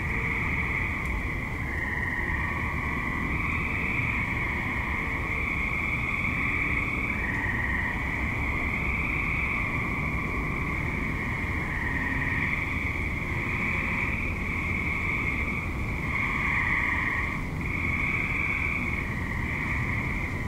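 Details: Dusk-to-night chorus of many active tree frogs in a suburb: sustained high trilling from overlapping callers, rising and falling in waves for twenty seconds, over a steady low hum of distant traffic.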